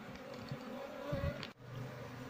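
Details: Honey bee colony being transferred to a hive box as the queen is looked for. Dense buzzing hum with a higher whining tone above, broken by handling knocks and a brief dropout.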